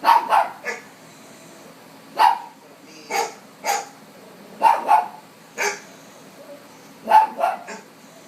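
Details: A pet dog barks at dogs on the television: quick sharp barks, some doubled, coming in irregular bursts roughly every second or two, close and loud.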